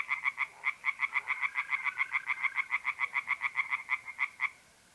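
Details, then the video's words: Rapid rattling song of tree frogs in a pond at night in mid-April, north-east Italy: about thirty harsh, evenly spaced pulses in four and a half seconds, then stopping. A faint steady mole cricket trill lies beneath. "singing tree frogs in pond"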